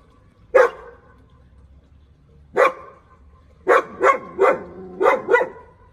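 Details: German Shepherd barking on an intruder: two single sharp barks spaced about two seconds apart, then a quick run of five barks in close succession.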